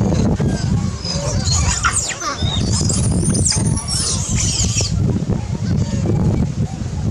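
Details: Loud distress cries from a baby monkey threatened by a larger monkey during feeding: a run of piercing, high wavering squeals for about three seconds, then fading into rumbling outdoor noise.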